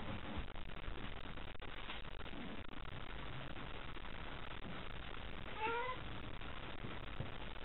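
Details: At a nightly cat gathering, Chataro and Kochataro square off with bristling tails as white Shiroko scampers nearby. A single short, tonal meow comes late in the clip over steady low background noise, with a few soft knocks.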